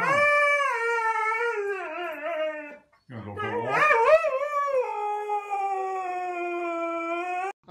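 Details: ['Husky howling and yodeling, long harmonic tones with wavering, talkative pitch bends, a brief break, then a warbling rise into a sustained, slowly falling howl.']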